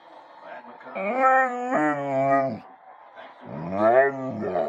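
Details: Pet Bullmastiff dog whining and 'talking' as it does when it wants to eat: two drawn-out, harmonic-rich moaning whines, then a shorter wavering rise-and-fall whine after a pause, with quieter low murmurs between.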